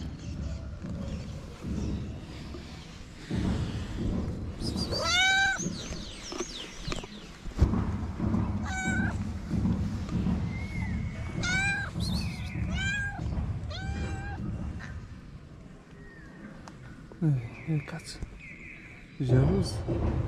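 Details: Calico stray cat in Morocco, jealous of a second cat near its feeder; repeated bright, drawn-out meows, some in quick pairs, over a steady low background hum with a few clicks.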